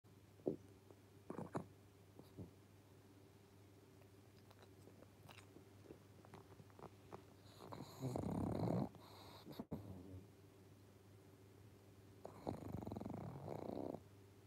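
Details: Pangpang the Pug asleep on a sofa indoors, quiet room with a few faint soft clicks, then two rasping, broadband snores, one long breath around eight seconds in and another some four seconds later.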